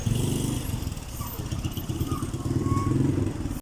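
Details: A steady low engine rumble, like a motorcycle or small vehicle idling, fills the recording with some faint clatter. No animal sound stands out.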